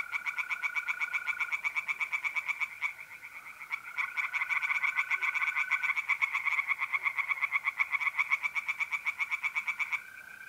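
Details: Pond chorus of singing tree frogs, north-east Italy, mid-April at night: rapid rattling croaks pulse steadily, briefly dipping near the third second, then resume. Mole crickets trill continuously in the background.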